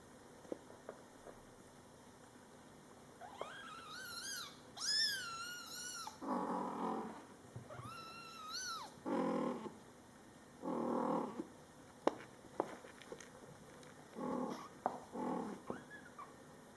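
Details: Scottish Fold kittens, born July 22, 2012, meowing in their first month of life while mother cat Coco talks to them. High, arched mews rise and fall with strong overtones, then lower, breathy murmured calls repeat at intervals.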